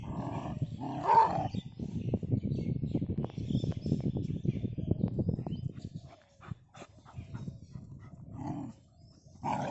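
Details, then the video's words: Dogs fighting on a village road, giving a dense, rumbling growl of rapid low pulses for about six seconds, with a sharp yelp near the start and brief snarls toward the end. "village road dog fighting"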